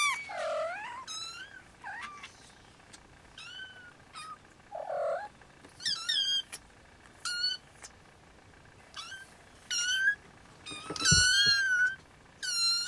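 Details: Siamese kittens, Snowshoe, nursing; several high, thin mews with rising and falling harmonics, called in short scattered bursts from more than one kitten, some soft lower squeaks between.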